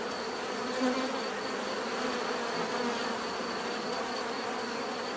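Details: Bees buzzing together in a continuous low drone, with one bee flying close near the start giving a short louder swell before the even swarm hum resumes.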